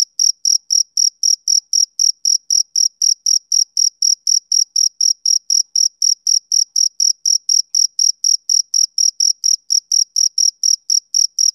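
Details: Summer-evening chirping of a male cricket: a brisk, even train of shrill pulses, roughly four each second, with nothing else audible in the background.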